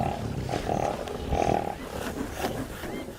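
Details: Mwamba pride lions on the West Bank of the Luangwa River, Zambia, producing harsh snarling bursts in short pulses over a low rumble, with faint bird chirps in the background.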